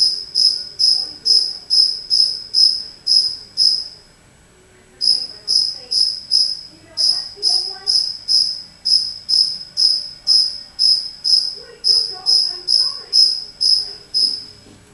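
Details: Chirping of a lone cricket inside a house: rhythmic high-pitched ringing pulses roughly twice a second, broken by a pause of about a second near the four-second mark, then resuming steadily, with soft indistinct indoor sounds in the background.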